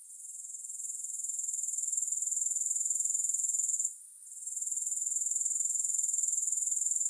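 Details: Grasshopper chorus with no music, a fast, even, high buzzing trill that swells in over the first two seconds, stops for a moment around four seconds, then returns.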